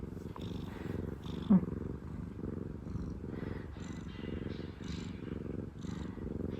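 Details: Pleased former rescue cat purring in a thick, pulsing low rumble, with a brief sharp chirp early on and faint soft speech in the room.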